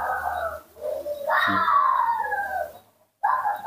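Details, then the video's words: Nomi, a hand-reared baby monkey, cries out eagerly for its milk: a wavering squeal, then a long, loud wail that slides slowly downward, ending in silence and a fresh harsh burst. "calling and making small sc rea ms, the baby monkey Nomi couldn't wait to drink milk"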